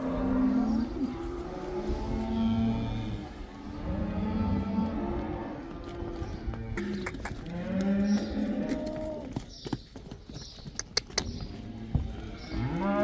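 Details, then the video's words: Black cattle in the Netherlands heading back into the pasture for the spring cow dance, several animals lowing in overlapping, drawn-out moos with strong harmonics, some rising and falling, amid general herd noise and faint music. "The cow dance!"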